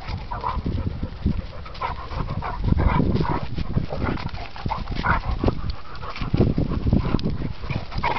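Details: Two dogs fighting, an English Pointer against a German Shorthaired Pointer: harsh, rasping snarls and growls come in rough bursts over a constant low rumble, with sharper raised outbursts through the scuffle.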